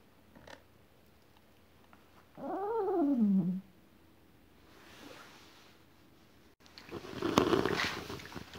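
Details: Thirteen-year-old small white poodle wearing a neck cone after hip dislocation surgery, its itchy wound tempting it to scratch and lick: one drawn-out whine that rises and then slides down, lasting about a second, followed by rustling and handling noises.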